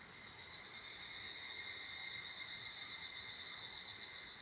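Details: Quieter, more distant-sounding evening cicada near an abandoned toilet, producing a steady shrill ringing tone with only faint, irregular pulsing, rising slightly in the middle and easing off toward the end.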